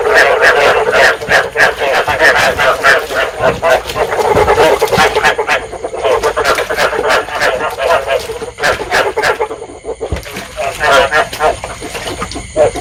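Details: Many field frogs call together in Vietnam, a recording for luring frogs and stimulating breeding. Dense bursts of fast throaty croaking are heard, with short lulls about two-thirds through before the chorus swells again.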